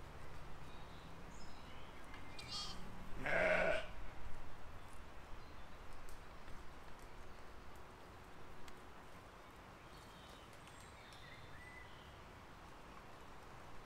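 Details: Sheep and lambs grazing in a field, filmed in spring 2020: one loud, wavering, harmonic bleat rises out of steady low wind rumble about three seconds in, followed by quiet field ambience with faint distant chirps.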